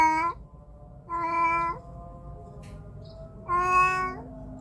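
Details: Domestic cat captured with a phone mic giving three meows, one cut short at the start, then a longer drawn-out meow and a final meow that bends downward at its end; faint background hum between calls.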